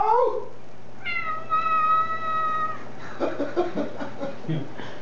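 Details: A talkative Siamese cat indoors gives a long, steady, clearly tonal meow that sounds like "hello", lasting over a second and a half, followed by muffled rustling and a person's voice.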